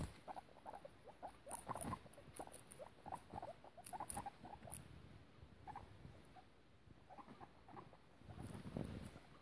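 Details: Guinea pig mother named Piggie Minaj with her babies, kept by a foster carer; soft short squeaks and chirps come in quick irregular bursts, mixed with faint pattering and rustling throughout.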